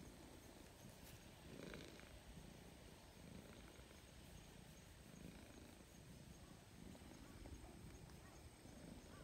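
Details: Grey stray cat gradually closing the distance and seeking affection. It gives a soft, low, rumbling purr that swells and fades in breathing cycles about every one and a half seconds, with steady background hiss.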